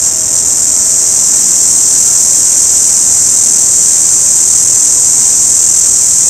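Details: Orange cicada giving a steady, high-pitched, hissing buzz that holds level and unbroken for the whole stretch, with no other clear sounds.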